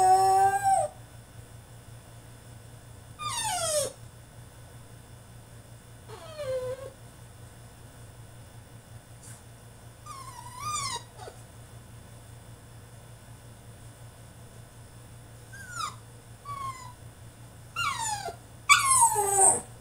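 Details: French Bulldog male fussing inside his cage, repeated falling whines and yips with a howl-like wavering cry, irregular bursts separated by quiet pauses over a low electrical hum.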